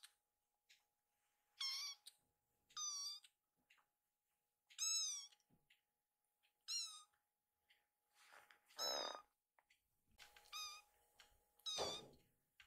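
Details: Rescued kitten Piyo, sleepy, mewing to its mother to ask for bedding: a run of about seven thin, high harmonic mews, each arching up then down, spaced one to two seconds apart, with soft rustling and a low electrical hum.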